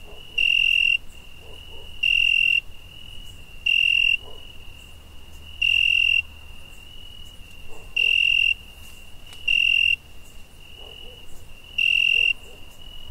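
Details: Crickets at night in summer, one chirping loudly in shrill half-second bursts, seven of them at about two-second intervals, while a softer steady high trill carries on underneath.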